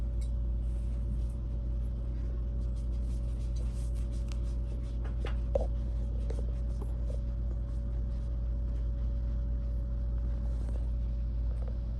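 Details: A steady low indoor hum fills a small room, with soft scratching and tapping noises and no animal voice.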